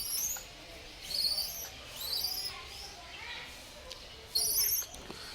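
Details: Baby langur monkey giving thin, very high-pitched squeaky calls that slide downward, in short bursts near the start, middle and end of the clip, with a louder double squeal toward the close and faint background hiss.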